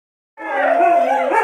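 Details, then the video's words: Monk the Siberian Husky howls together with his canine siblings: after brief silence, several sustained, overlapping howls begin at once, dense layered tones holding steady pitch as a group chorus. "Monk and company sing the song of their people"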